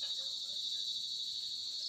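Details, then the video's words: Crickets sing a steady, high, unbroken trill around 6:30 on a cold evening while it is still light, with people playing basketball nearby. "Tapos maririnig mo na yung mga kuliglig"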